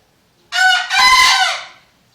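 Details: Crow of a kept bekisar, the Indonesian junglefowl hybrid, a loud, clear two-part call: a short harsh opening note, a brief gap, then a longer, ringing, strongly harmonic note lasting about a second and fading out. Otherwise quiet.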